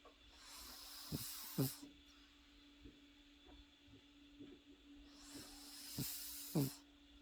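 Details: A Pekingese puppy asleep and snoring, offered as a sleep aid: two long hissing breaths about five seconds apart, each ending in a short rough snort, with quiet snuffles between and a faint steady hum behind.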